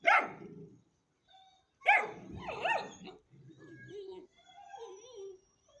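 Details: Ten-week-old Hanoverian Scenthound puppy giving two sharp, hoarse barks about two seconds apart, each trailing into wavering whiny yelps, followed by softer whimpering tones.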